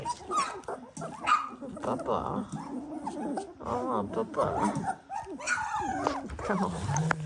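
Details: A litter of 18-day-old Dalmatian puppies, a dense mix of overlapping high squeaks and short whimpers from several pups at once, with human speech murmuring underneath.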